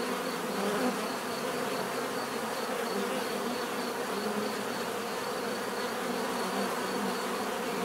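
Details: Bees buzzing in a natural setting: a dense, steady hum of many wings with faint higher whine, unbroken and even in loudness throughout.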